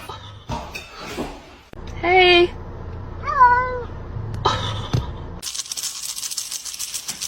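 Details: Domestic cat giving two short meows amid abrupt cuts: one flat, steady mew, then a wavering, slightly rising one. Voices, thumps and knocks surround them, and a steady broadband hiss fills the final seconds.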